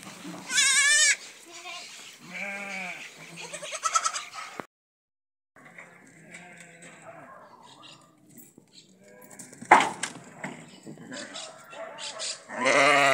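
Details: Goats in a pen after new kids were born give several short, wavering bleats. Some rise and fall and some are high and shrill. A man talks between them, with a silent gap midway.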